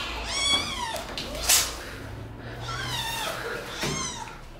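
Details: Kittens attacking the person filming give two drawn-out, rising then falling meows about three seconds apart, with a short sharp noise between them in a quiet indoor setting.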